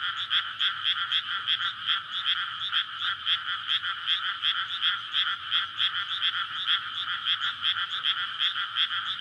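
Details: Courtship chorus of many frogs at night in a May rice paddy flooded before planting, surrounded by housing; rapid rattling croaks pulse continuously, a few louder callers rising above a steady dense background.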